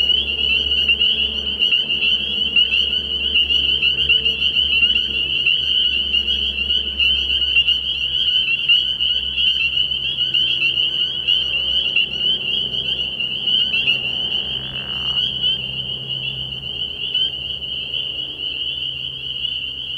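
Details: Spring peepers in a chorus at a frog pond at night early in the year: a dense wall of high, piercing peeps that overlap into one steady ringing band, many callers at once, with a faint low hum underneath.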